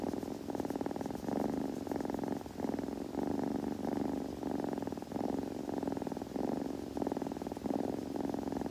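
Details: Close, rhythmic purring from a grooming kitten, each inhale and exhale forming a buzzy block of about a second, separated by brief pauses, with nothing else audible.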